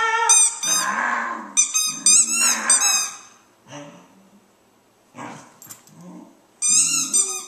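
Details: Dog howling in response to the squeals of its squeaky ball; shrill, rapid toy squeaks dominate, with lower, drawn-out wavering howl notes beneath them, then a quieter pause before the squeaking returns.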